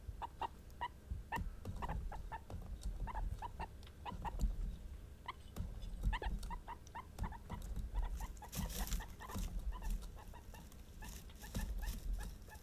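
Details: Indoor female guinea pigs of Peruvian, English and Teddy breeds voicing emotion with steady short chirping squeaks, several per second, while rustling and shuffling noises and low rumbling run beneath.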